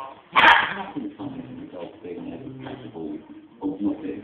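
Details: A female West Highland White Terrier, going barking mad at dogs she sees and hears on television, gives one sharp, loud bark over TV speech.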